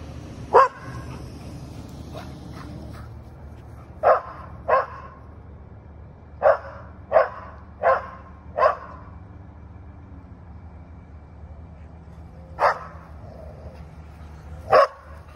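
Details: Atticus, a Standard Schnauzer, gives loud, sharp single barks, spaced unevenly with quiet gaps between, barking at a balloon.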